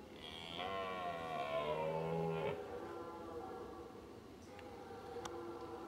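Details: A lone red deer stag in a meadow at Weerterbos on 29 September 2011 gives a deep, drawn-out rut roar that sags in pitch. Another stag with about 15 hinds answers faintly from the forest.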